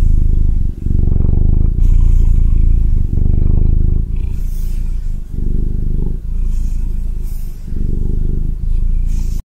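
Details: Evie, a Ragdoll cat, purring up close: a loud, steady low rumble that breaks briefly with each breath, roughly every one to two seconds, with faint scratchy handling noise.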